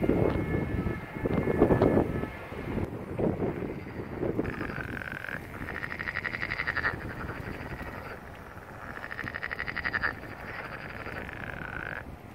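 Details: First frog calls of the year on April 1, 2022, in a wetland below a seaside hill at Barletta, Puglia, southern Italy: rapid, pulsed trills in bursts of two to three seconds, after a stretch of low rumbling noise.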